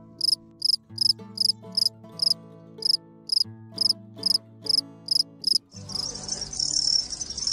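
A cricket gives short, high chirps about twice a second, with soft music playing beneath.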